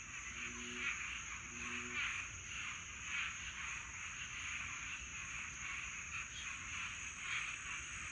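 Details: Nighttime swamp frog mating chorus in Florida summertime: a continuous throbbing wall of trilling frogs, two low paired croaks early on, and a constant shrill insect tone above.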